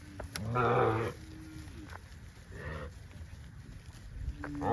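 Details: A cow among dozens of tame cows running in green grass rice fields on a cattle farm gives a deep, drawn-out moo with rich harmonics, followed by softer lowing.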